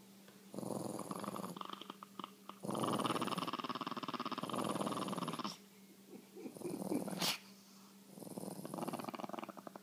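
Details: Chihuahuas competing for the best spot on the couch: long rough, rumbling growl bursts lasting one to three seconds, separated by short pauses, with a sharp squeak near the middle.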